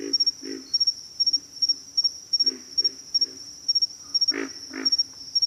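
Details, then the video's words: Pig frogs utter deep, throaty grunts, singly and in twos, a few louder and richer toward the end, with a persistent thin insect whine behind them. "pig frogs - sound effect"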